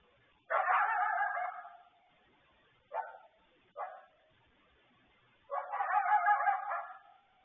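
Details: A coyote calls back and forth with wolves for several minutes around 9 pm on the evening of 12 May 2020, giving drawn-out, harsh barking yelps with two short, sharp barks between.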